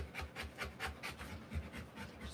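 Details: Rottweiler female panting while giving birth to puppies, her first a girl; rapid rhythmic breathy pants, roughly five per second, with low rumble beneath.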